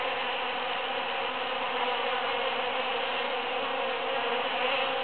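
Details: Many busy bees foraging through huge cactus flowers after the June 22, 2013 Super-Full Moon: a dense, steady droning hum with layered tones that holds without a break through the whole stretch.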